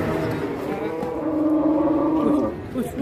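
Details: Enraged cow that has broken loose, giving a long, loud, droning moo that holds steady and then tails off, with rough noise around it.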